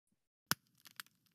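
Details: Snapping shrimp recorded by a long-term passive acoustic recorder in a South Carolina estuary produce sharp, broadband clicks, a few crisp snaps scattered irregularly like crackling rice krispies.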